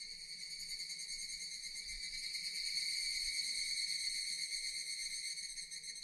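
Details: Dense, unbroken metallic whirring from a chorus of Japanese cicadas, gently rising in volume toward the middle and holding steady.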